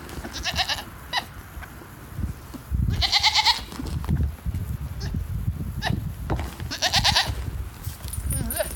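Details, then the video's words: A female goat making odd high chirping sounds: short bright harmonic bursts near 0.5, 1.2, 3, 6 and 7 seconds, separated by rustling and low thumping handling noise. "Chirping Goat - Strange 🐐 sounds"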